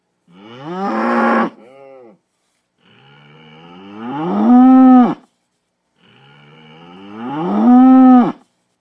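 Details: Powerful bull bellowing three times, the first short and harsh with a fainter tail, the next two swelling gradually into loud rising calls that hold steady before breaking off.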